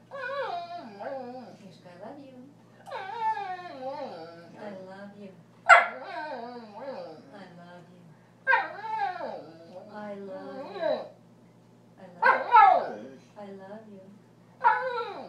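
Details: A male border collie talks back and argues, producing bursts of whiny, yowling, sliding vocalizations that rise and fall in pitch, separated by short pauses, while a person speaks affectionately to him between bursts.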